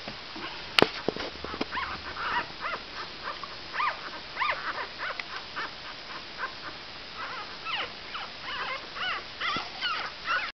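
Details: Five-day-old Cavalier King Charles Spaniel puppies; softer, more distant squeaky whimpers in short overlapping bursts over a noticeable background hiss, with a sharp click near the start.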